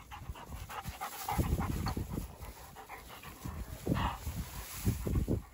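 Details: Two Dogo Argentinos playing outdoors, breathing in rapid, rough, low panting bursts that come in uneven runs with brief pauses between them.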